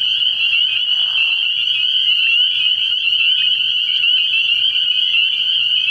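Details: Early-year night at a frog pond, where a massed chorus of spring peepers rings as an unbroken high-pitched shrilling, with a short lower raspy burst about one second in.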